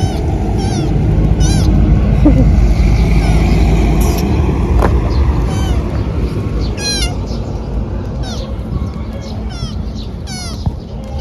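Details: Thin stray kitten found crying and needing help, giving high, thin, downward-sliding mews in short bursts, some doubled, with a constant low rumble of traffic and street noise beneath.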